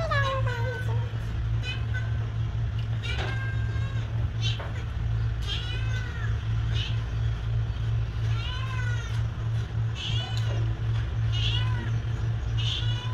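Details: Cat meowing again and again, about eight arched mews that rise then fall in pitch, spaced a second or two apart over a steady low hum, with a few sharp clicks.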